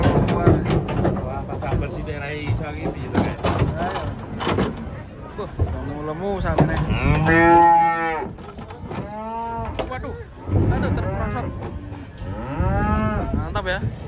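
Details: Several cattle moo repeatedly while unloaded from a truck, with short arched calls in quick succession mid-clip and another later, amid heavy thumping, clanking metal and crowd noise.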